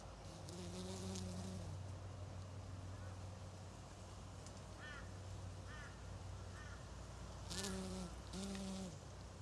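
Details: Australian native stingless bees, small stingless insects living in hives of up to 12,000, give a low droning hum broken by louder buzzy bursts near the start and toward the end, with brief faint chirps in the background.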